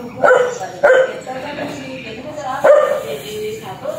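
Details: Fierce, aggressive dog giving three sharp, rough barks, two close together near the start and one more after a pause, with low murmuring noise between them.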